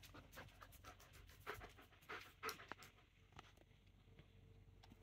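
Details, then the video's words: Pet German Shepherd indoors shortly before dinner, demanding to be fed: rapid, breathy panting in uneven bursts, with a few louder puffs midway and a human voice speaking to the dog nearby. "My German shepherd is such a demanding doggo"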